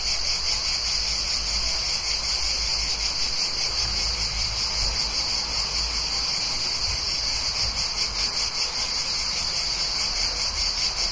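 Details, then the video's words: Steady, shrill insect buzz from cicadas calling near a town in summer, continuous and even in loudness, over a faint low traffic rumble from nearby cars. "Cicadas and Cars Near Town"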